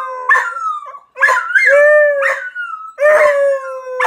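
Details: Beagle. A beagle bays in repeated drawn-out howls, each starting abruptly and then sustaining a steady, slightly falling tone. The classic hound 'aroo' comes in three or four pulses separated by brief pauses.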